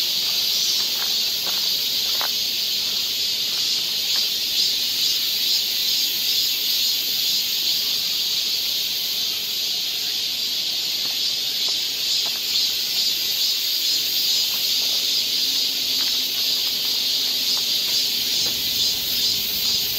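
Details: Summer cicadas in a forest near Seoul, Korea, filling the air with a loud, sustained, shimmering high drone that swells slightly in waves, with occasional soft clicks and a faint distant tone.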